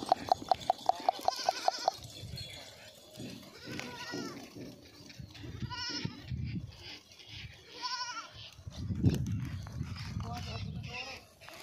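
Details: Running goat giving three short, quavering bleats spaced about two seconds apart, over rustling, thumping and background noise, with a quick series of clicks at the start.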